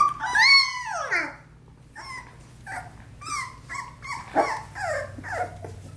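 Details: Four-week-old Australian Labradoodle puppies in play give a long high whine that slides downward, then a string of shorter squeaky yelps and whimpers spaced irregularly.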